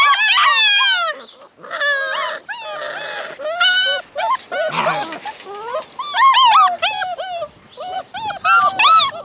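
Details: Alaskan Malamute puppies from a litter of eight born February 2013 howl together in high, wavering, overlapping cries with brief whimpers.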